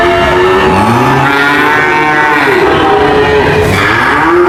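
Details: Several cows low together in a brief burst of layered moos, one note dipping and rising in pitch midway, over constant background noise.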